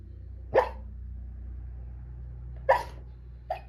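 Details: Sleeping dog Santee gives three soft muffled woofs spaced unevenly over a few seconds. A steady low hum runs underneath throughout.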